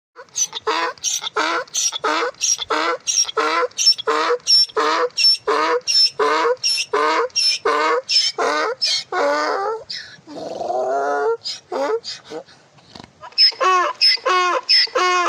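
A donkey brays in a fast run of harsh, wheezy pulses, then gives a lower, drawn-out honk.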